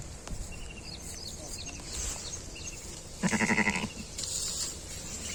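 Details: A six-legged lamb's mother, a sheep in Bompelli village of Peddapalli district, gives a single tremulous, wavering bleat lasting under a second near the end, while high twittering bird calls repeat through the quiet outdoor background.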